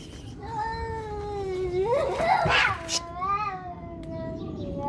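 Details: Fighting cats: a long moaning howl swells and climbs into a harsh, noisy screech, then settles back into a wavering, drawn-out yowl, with a woman's voice speaking Turkish.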